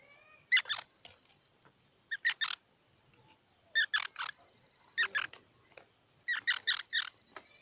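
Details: Squirrel uttering groups of two to four harsh chucks about once a second over faint background noise, notes rich and buzzy, with a few softer clicks between groups.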